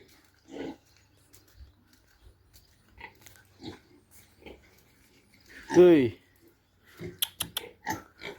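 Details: Farmed pig among sows kept for breeding: one loud, harsh, drawn-out squeal midway, surrounded by scattered soft grunts, clicks and quiet human voices.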